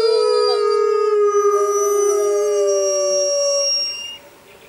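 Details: Grey wolves howling in the wild jungle during a full moon, a long steady tone slowly falling with a second voice above it, fading out after about four seconds into quiet.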